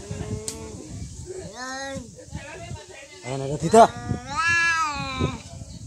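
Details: Real cats fighting: drawn-out wavering yowls rise and fall in long harmonic wails, with a sharp burst near the middle and a louder, higher yowl toward the end over low background rumble.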